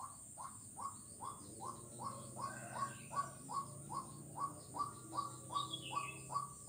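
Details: A frog on Jalan Kolonel Sugiono, Kuala Kapuas, Central Kalimantan, recorded 4 November 2021, gives short, hooked mid-pitch notes, repeated steadily more than twice a second.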